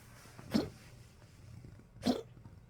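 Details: Elderly Poodle waking in cold weather, recorded 30 March 2025, giving two brief husky coughs about one and a half seconds apart over a faint indoor hum.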